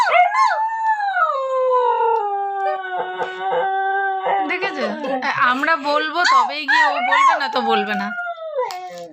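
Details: A female husky, coaxed by her owners' imitations, howls long and high, sliding down into a steady tone, breaking into wavering, talkative yodel-like warbles, then rising again and fading.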